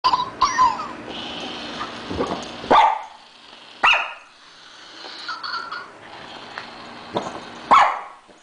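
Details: A three-year-old female Shih Tzu barks while chasing her toy hamster during play indoors. She gives a few short, sharp barks spaced irregularly, with softer scuffling and squeaky noises between them.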